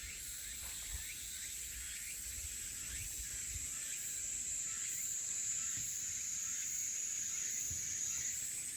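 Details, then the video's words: Crickets and cicadas in Haenam, heard as a continuous high, hissing buzz that swells slightly midway, with soft rapid chirps beneath it and a few faint low thumps. "Sound of elusive crickets and cicadas"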